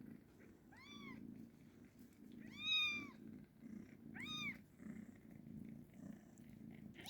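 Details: Kitten giving three high, arched meows with rich harmonics, each under a second long and spaced about two seconds apart, the middle one loudest, over a steady low pulsing rumble throughout.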